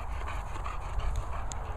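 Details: Two dogs at play, a Bernese and a Bulldog named Murphy and Molly: quick, breathy, rhythmic panting bursts repeat throughout over a steady low rumble of background noise.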